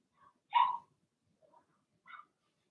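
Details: Blenheim Cavalier King Charles Spaniel puppies from a litter of six in a home puppy pen: one sharp yappy bark, then faint small yips before and after, otherwise quiet.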